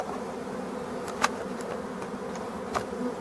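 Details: Black bees at an abandoned hive being restored: a steady droning hum with bands low in pitch, plus a few brief sharp clicks.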